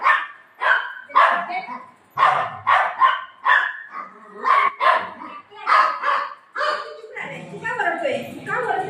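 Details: Golden retriever playing with its owner after tearing up a pillow at home, giving a dozen or so sharp, mid-pitched barks in uneven bursts over nine seconds, with a human voice mixing in toward the end.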